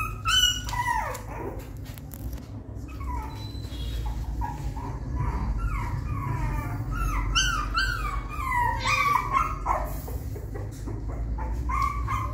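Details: Young dog attempting a small step up into its nest, letting out sharp yips at first, then a dense chatter of short falling whimpers and squeaks, over low steady background noise.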